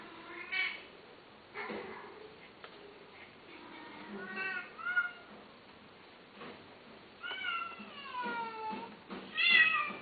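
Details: Cat meowing repeatedly: a sequence of short mews in the middle, then a longer falling meow and a loud rising one at the close, with light background rustle between calls.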